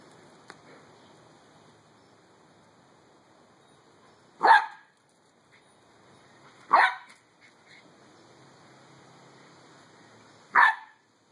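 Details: Skip, a three-month-old male Pembroke Welsh Corgi puppy, playing with a beach ball: three sharp, loud single barks spaced a few seconds apart, a person's voice urging him on between them over quiet room background.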